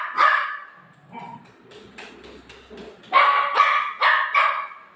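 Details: Golden Retriever dog reacting after its owner ate its ice cream: a whiny, high-pitched bark, a short lull with faint low sounds, then four loud harmonic barks in quick succession.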